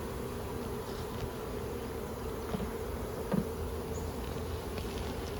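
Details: A captured swarm of Western honey bees dropped into a box in May 2022, after several weeks of swarming; bees full of nectar and honey, said to sting poorly. Steady low droning hum throughout, with a few faint knocks.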